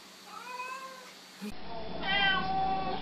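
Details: Pet cat answering a person's spoken greetings indoors, giving a short falling meow, then after a cut a louder, brighter meow, with a steady low hum in the background.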